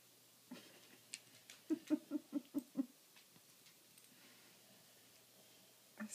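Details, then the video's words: Sleeping Boxer dog, thought by its owner to have sleep apnea, gives a quick run of about seven low, snuffling snore pulses in under two seconds. Quiet breathing follows, and one more snort comes near the end. "Snoring boxer"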